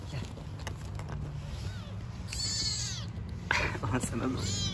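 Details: Street-living cat from a group of newborn kittens and their mother: high, thin meows with arching harmonics, a few in quick succession, alongside Turkish speech and background street noise.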